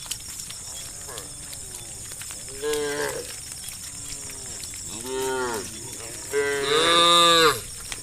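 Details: Hundreds of cows herded along a road in sunlight, calling the herd: several overlapping low, drawn-out moos rise and fall, the last one loudest and most strained, over a steady hiss of background noise.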